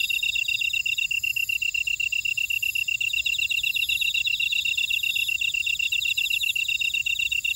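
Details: Field insects singing in a Jeju City buckwheat field, Ora-dong, South Korea: a steady pulsed high chirring with slightly slower beats, plus fast scratchy trills and intermittent very high shimmering phrases.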